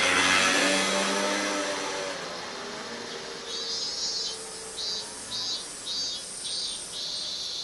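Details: A cicada sings in Minami-Magome, Tokyo, Japan, on 8 August 1991 in summer: high, buzzy pulses that swell and fade roughly every second.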